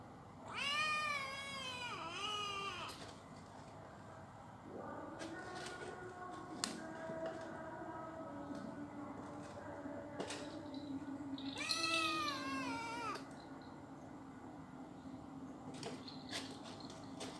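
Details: Persian cat meowing indoors: a long drawn-out meow at the start, softer quieter cries through the middle, then a second clear wavering meow near the end, over a steady low background hum.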